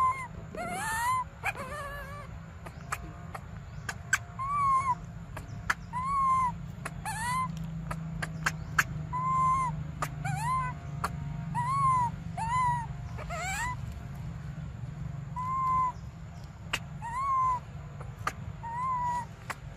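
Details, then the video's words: Baby monkey Briar crying desperately for milk: a steady run of tonal, arched wails, each rising then falling, repeated about once a second, with sharp clicks and knocks and a low rumbling background throughout. "Desperate Baby Briar Cries For Milk"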